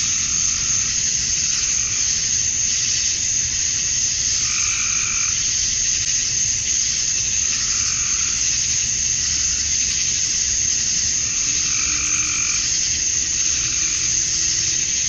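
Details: Male cicadas chorus at summer dusk in Georgia, USA, calling to attract females: a dense, steady, high hiss that never breaks. Lower throbbing calls from another animal rise and fade about every four seconds underneath.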